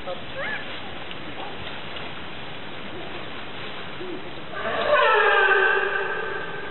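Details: Captive California sea lions at Opole Zoo, Poland. After several quiet seconds of murmuring background, a loud, rich harmonic call rings out for about a second and a half, then fades.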